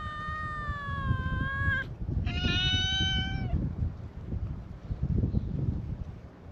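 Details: Two long, steady, clearly pitched meows from stray cats at a cat gathering on a cat island, part of a welcoming chorus for a visitor. A brief pause separates the calls, followed by low outdoor rumbling.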